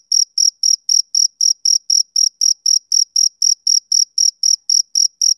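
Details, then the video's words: Male cricket chirping on a summer evening, slightly slower here at just under four pulses a second, each note short, high and ringing, with no background noise. "Cricket Chirping Sound Effect"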